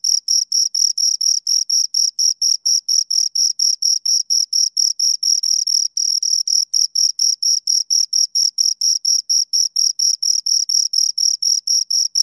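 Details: Two crickets chirping, a steady train of high, clean pulses repeated about four times a second with a fainter higher overtone, uniform throughout with no other sounds.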